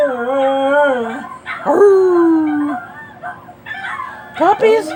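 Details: Dog howling toward other dogs: long wavering howls sliding slowly downward, one after another, with a rising yelp at the end and some speech-like sounds mixed in.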